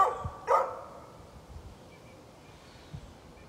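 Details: Two short barks open this brief recording of a neighbor's dog from 13 November 2020, followed by near silence with a few faint low thumps.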